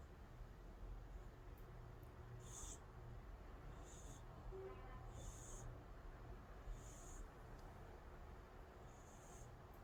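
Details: Calico cat Angttu in deep, sound sleep, snoring: soft hissing wheezes rise and fade with each breath, roughly every two seconds, over a faint steady low hum.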